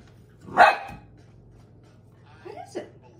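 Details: Dog reacting to an empty soda bottle as if it were a threat; one sharp bark, then a short pause and two quieter, clipped yips.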